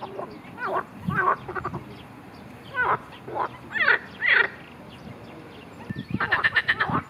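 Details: Marsh frog, filmed in a recording that also shows it being attacked by a grass snake, giving bursts of harsh, rattling croaks with gaps between them, ending in a rapid pulsed chatter of quick repeated notes.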